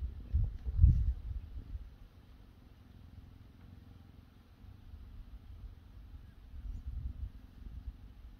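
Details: Relaxed cheetahs at HESC on a sunny Sunday, one receiving grooming with licks and an ear nibble: a deep, low rumbling purr, swelling louder near the start and again toward the end, with a soft continuous throb between.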